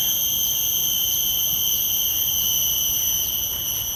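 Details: Shrill, continuous high-pitched tone of a common cicada, field-recorded with shotgun microphones on a Zoom F3, with brief falling ticks pulsing through it roughly three or four times a second.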